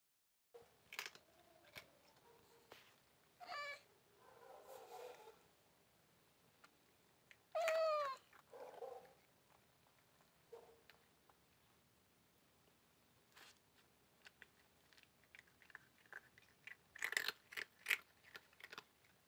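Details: Cats wanting food after a fight, meowing indoors: a few rising and falling meows of varied length, some short and some drawn out, scattered among clicks and handling noises, with a burst of clattering near the end.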